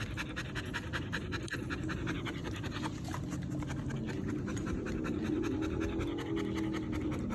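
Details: Steady rapid panting from Siri, a Belgian Malinois, about 158 breaths a minute, soft rasping huffs in an even pulse with a low background hum and no voices.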